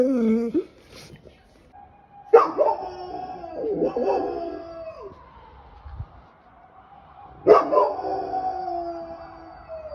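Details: Retsu, a 1-year-5-month-old, 42 kg Golden Retriever in Sapporo, Hokkaido, who only recently learned to howl, lets out a wavering howl with sharp yelping onsets near 2.5 and 7.5 seconds that then stretch into long, sliding tones.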